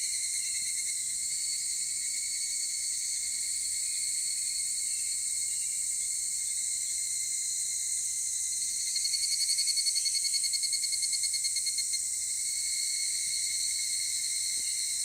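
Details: In Takahashi City at 16:14 on Monday 23 July 2018, a higurashi cicada sounds over a constant shrill chorus of insects, its rapid beating trill rising to a peak around nine to twelve seconds before sinking back into the background.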